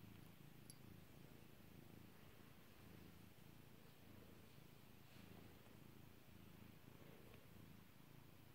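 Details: Domestic cat purring as it is petted: a faint, continuous low rumble, rhythmic and even throughout, under a hiss of background noise.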